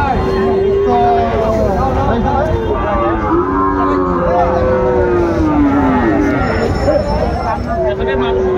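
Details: Overlapping bawls from Sahiwal bull calves at Ambari market, Dinajpur, Bangladesh, on 14 March 2025: a series of sliding, bending moos, several animals calling in turn over a dense background of voices and engine hum.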